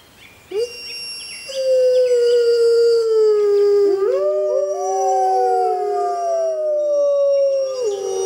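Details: Grey wolves howling in the wild, recorded at full moon: long sustained tones that slide slowly downward, with a second voice joining midway so two howls overlap and weave, then ending in falling tails.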